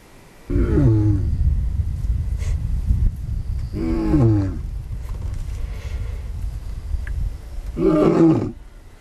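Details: Lion at Olare Orok giving deep, loud, harmonic roaring calls; three strong moaning bursts at intervals of about three and a half seconds over a continuous low rumble.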